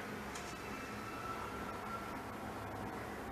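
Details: Indoors during quarantine, a steady mechanical hum like an appliance or air conditioner fills a small room, with a faint tonal whine and no animal sounds.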